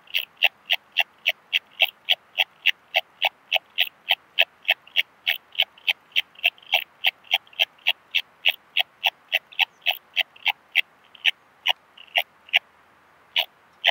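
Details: Purple Meadow Bush-cricket song from Muhrtal, Austria, 9 October 2020, taken with a Pettersson D 100 ultrasound detector. A long, steady train of sharp clicking chirps runs about three per second without pause.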